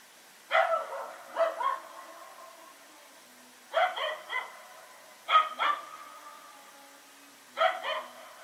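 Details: Dog named Rex barking at night while running around with a companion, recorded September 21, 2018; barks come in pairs or short bursts of two to three, separated by pauses of about two seconds, with faint echoing tails.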